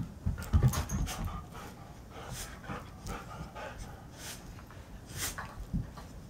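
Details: Two dogs, a 7-year-old Alaskan Husky and a 6-month-old Karelian bear dog, roughhousing indoors in the morning; low rumbling growls and panting mixed with thumps and scuffles of play.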